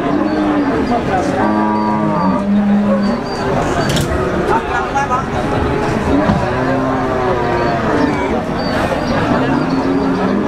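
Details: Black Pegon cattle at the Wagenan livestock market in Margorejo, Pati, Central Java; low, drawn-out lowing moos with harmonic overtones rise above busy crowd chatter, voices and traffic noise throughout.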